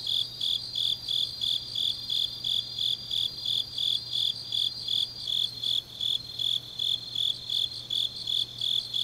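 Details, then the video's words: Grass insects singing on a deep autumn night in Changnyeong, South Gyeongsangnam-do, Korea: a steady high chirping pulse repeated about three times a second, with a second fainter insect trill layered above, over a low constant hum. "깊은밤 가을 풀벌레 소리"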